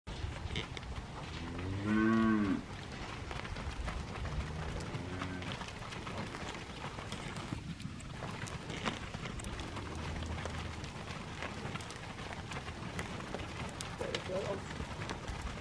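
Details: Charolais heifers, part of a group of 25; one clear, loud moo with stacked harmonics near two seconds, a fainter low moo around five seconds, then steady farmyard background noise.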